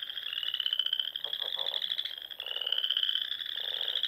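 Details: Frog chorus in the Sandhills of Nebraska during spring, heard at dusk: a loud, even high trill from many frogs, broken by a few lower rattling croak bursts.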